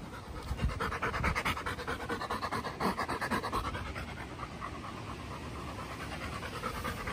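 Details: Chocolate Labrador Retriever Bear panting steadily after a Sunday morning walk, fast rhythmic breathy in-and-out puffs about two per second, strongest in the first half, with light background hiss.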